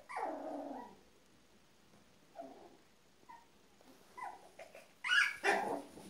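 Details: Apricot Miniature Poodle litter born March 3 2015, puppies with their father Rudy; a drawn-out whine opens, then short scattered yelps and squeaks, ending in a louder burst of squeals.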